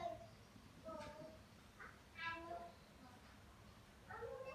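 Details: Kitten giving a series of short harmonic meows, some rising then falling, spaced roughly a second apart, the loudest near the middle, over a steady low background hum.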